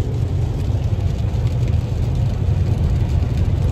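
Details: Constant deep road and engine drone inside a moving car, with no animal sounds.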